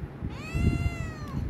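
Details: Hungry Himalayan cat urging for food with one clear, harmonic-rich meow that swells and then slowly falls over nearly a second, low household hum underneath.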